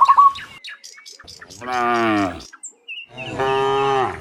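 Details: Cow sounds in the morning as the herd returns from the field to the barn. Two strong, sustained, low moos of under a second each follow a brief high chirp and faint clicking.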